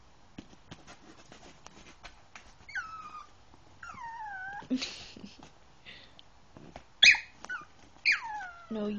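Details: Yorkshire Terrier trying to get onto a bed, giving several drawn-out whines that slide downward in pitch, spaced irregularly, with a sharper yelp near the end, mixed with a person talking to the dog and scratching sounds.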